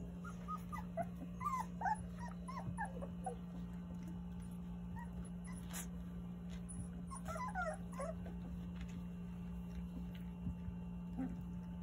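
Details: Nine Jindo puppies, teeth all coming in, nursing from their mother Sarang at a time when she has begun refusing them milk: thin, high squeaky whimpers in two short bursts, near the start and again past midway, over a steady low hum.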